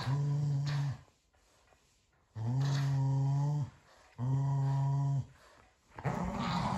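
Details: Carrot tug-of-war between a Keeshond named Kumo and a Boston Terrier named Sully; three long, steady, low growls about a second each, separated by quiet gaps with soft panting between.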